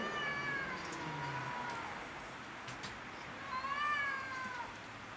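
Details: Rooftop cats in a territorial quarrel. A faint wail trails off at the start, then a clearer, wavering yowl swells and fades near the end over low background hum.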